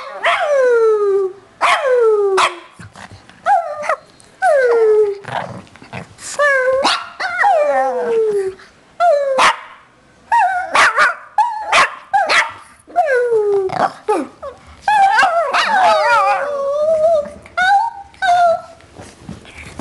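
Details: Two Shih Tzus singing a melody together, recorded 01/12/08: a long run of short, falling, yelping howls repeated about every second, ending in a longer, wavering, higher howl.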